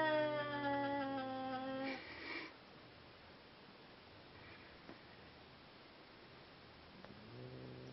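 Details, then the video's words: Seal Point Siamese cats brought together for mating give a long harmonic yowl, falling slightly over about two seconds, then quiet background with a few clicks before another low wail starts near the end. "Seal Point Siamese Mating"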